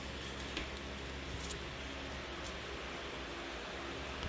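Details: Steady low rumble and broadband hiss with a few faint clicks, and no animal calling.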